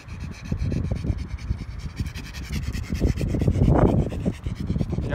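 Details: A pug mobbing Mia pants and snuffles in quick, rough low bursts, about three to four breaths a second, with rubbing and scuffling noises throughout and a louder rasping burst near the end.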